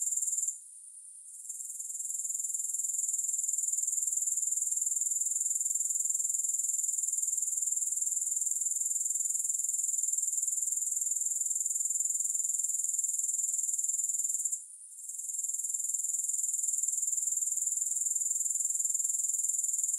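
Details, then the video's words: Unbroken high sizzling grasshopper chorus pulsing rapidly and regularly, with two short gaps where the sound fades before returning; no music present. "Grass Hopper Sounds"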